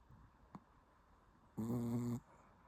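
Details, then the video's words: Sleeping Shih Tzu snoring indoors, one loud buzzy rasping snore lasting about half a second, low and strongly harmonic, with quiet room between and a faint click earlier. "비글 같은 시츄가 코골이를 한다고요???"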